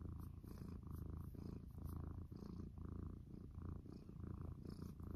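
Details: A cat purrs in the morning, a deep vibrating rumble rising and falling with its breaths roughly twice a second, heard very close with no other sounds.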